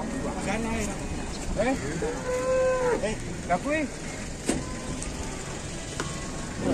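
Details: A big, heavy cow on an Indonesian cattle farm gives several short, wavering moos, one held steady for about a second, over a constant noisy background and a man talking.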